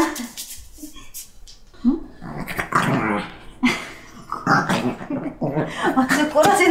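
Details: Black Shih Tzu named Jjanga, indoors in cold winter, resisting being dressed in new clothes: low rough growls and grumbles in short bursts, mixed with a woman speaking coaxingly over the dog throughout.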